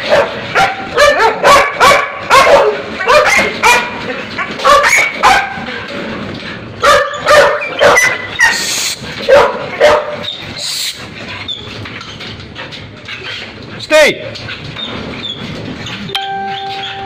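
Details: Belgian Malinois showing drive: a rapid, uneven run of sharp, loud barks about twice a second for some ten seconds, mixed with yips and a person calling commands, then quieter with a short whine near the end.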